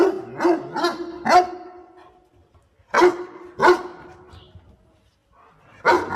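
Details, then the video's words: Dog assisting its owner in picking water spinach lets out a few quick barks, then two spaced louder barks and a last one after a pause. "5 Minutes Barking Sound - Smart Dog Heping Owner Picking Water Spinach"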